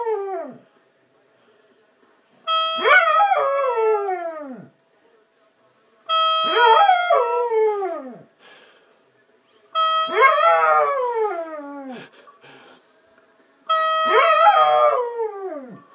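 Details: Golden Labrador howling along with a horn, four long bouts about every three and a half seconds; each starts with the sustained horn note while the dog's howl wavers and glides downward to a low moan.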